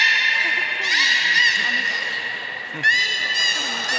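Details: At Port of Nagoya Public Aquarium on 3 February 2019, a beluga whale around feeding and play time gives a steady harmonic whistle broken by two sharper upswept calls, against faint low murmuring.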